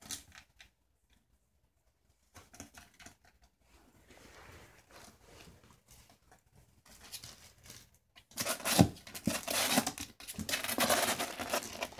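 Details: Paper tearing and rustling of wrapping in a small room, with scattered handling noises and no clear animal call.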